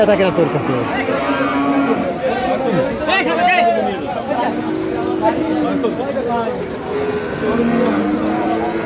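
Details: Holstein Friesian cattle lowing at a cattle market in Gopalganj, Bangladesh; several drawn-out low moos rise and fall amid steady crowd chatter and bargaining voices.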